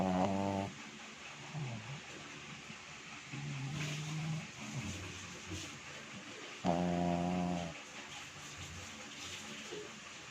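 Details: Sleeping pet dog, worn out from play, snoring loudly indoors; two strong buzzy snores about six seconds apart, with softer grunting breaths and low murmurs in between against a steady background hiss.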